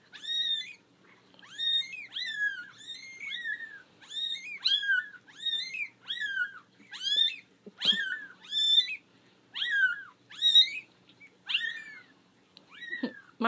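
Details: Four-week-old kittens, a litter of five, distressed at being out of their basket for the first time; a steady run of about thirteen high, bent meows, one roughly every second, loud and insistent, with quiet room noise between.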